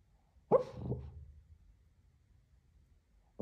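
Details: Lhasa Apso dreaming in its sleep, perhaps chasing squirrels, gives two soft muffled woofs in quick succession, then falls quiet before a sharp start of another bark at the very end.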